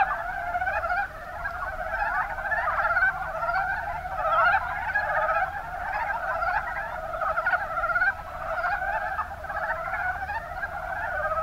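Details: Mountain brown frog chorus from the Kuma Basin in Kumamoto, Japan. Many overlapping, pulsed croaks form a busy rolling chatter, with short bursts swelling roughly every second above a constant background of callers.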